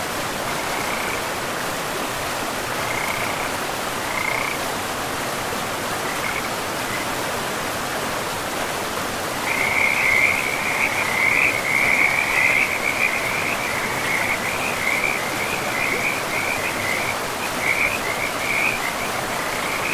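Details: Frogs by a river deep in a pristine forest with moss-covered land; sparse short croaks at first, then from midway a dense run of rapid, rattling calls, all over a steady rushing of river water.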